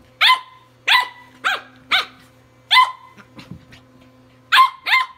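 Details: A tri-color Welsh Corgi puppy battles an electric toothbrush, giving sharp, high yapping barks in quick bursts over its steady hum.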